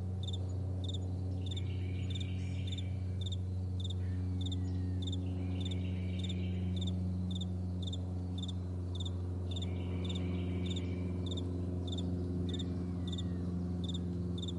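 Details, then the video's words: Morning meadow crickets keep up a rapid, even train of high-pitched paired chirps, several each second, while a loud low rumble drones underneath throughout. "Morning Crickets"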